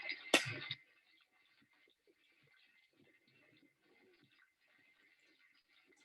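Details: A sharp knock at the start, then near silence with a faint steady high tone and soft indoor rustles; no animal sound is heard.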